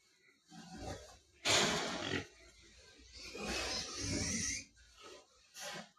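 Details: Wild boar being caught and returned to a cage, giving two long, harsh, noisy squeals, the second drawn out over more than a second, then a brief shorter squeal near the end.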